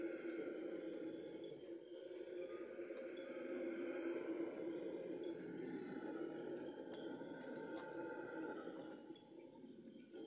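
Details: Red howler monkeys howl at dawn, giving a deep, continuous roaring howl with a high insect-like ticking repeating above.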